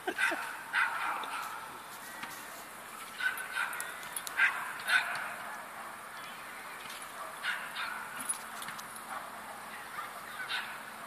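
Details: Two Bracco Italiano dogs described as in love. Short, sharp barks and yips come in uneven bursts, some grouped in quick pairs, with a person talking in Italian in the background.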